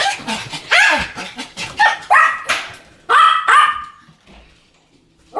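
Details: Two Pomeranians barking in a duet: a burst of sharp, high yapping barks, several in quick succession, then a pause and two ringing barks before the sound fades to near silence.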